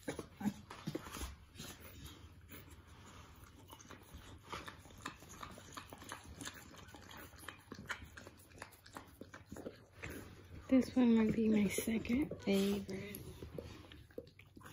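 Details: Pit Bull (Bully) dog giving birth to her first litter, indoors; a high whining whimper lasts about two seconds with a wavering, rising and falling tone, set among soft rustling, licking and shuffling noises.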